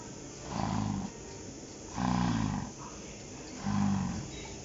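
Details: Cow named Yurina on a dairy farm in Finland, snoring or grunting: three low, rough, buzzy pulses about every one and a half seconds, each lasting roughly a second, with steady background hum.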